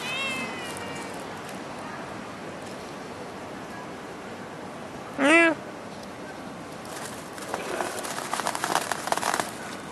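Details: Stray cat in Singapore giving one loud, clear meow midway that rises then falls, after a fainter harmonic call at the start, with steady urban background hum and rustling noise near the end.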